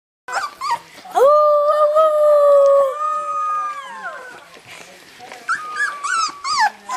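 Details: Three-week-old Rhodesian Ridgeback puppies give thin, wavering howls that rise, hold steady, then slide down.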